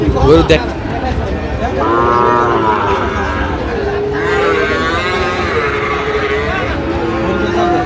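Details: A Sahiwal bull lows at a busy Madaripur cattle market on 25/8/25. Two long, wavering moos, each lasting over a second, rise out of loud bargaining voices and background traffic rumble.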